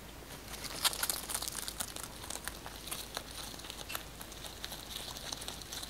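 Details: Pet rabbit Kkotdori eating fresh basil indoors, close-miked for ASMR: rapid crisp crunching and squeaky rubbing bites run continuously as dense clicks, with one sharper, louder crunch near the first second and soft crackling leaf sounds between.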